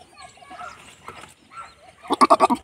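A goat gives a loud, wavering bleat that breaks into quick pulses, after softer murmurs and faint voices.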